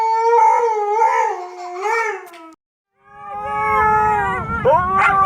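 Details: Siberian Husky puppy howls in two wavering, undulating cries with a short pause between them; a low rumbling background enters during the second cry.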